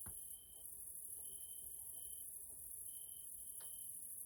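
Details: Evening grasshoppers (Caelifera) in a Hungarian nature area, Central Europe: a continuous shrill insect drone, overlaid by drawn-out pure tonal notes of about half a second, recurring irregularly, plus a couple of soft clicks.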